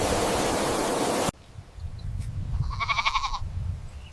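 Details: A goat gives one short, quavering, nasal, wavering bleat after a burst of loud hiss at the start, with a faint low rumble underneath.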